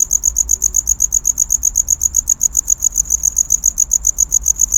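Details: Close, loud cricket courtship chirping, bright high pulses ticking off roughly four or five per second in a regular rhythm, with a faint low hum underneath.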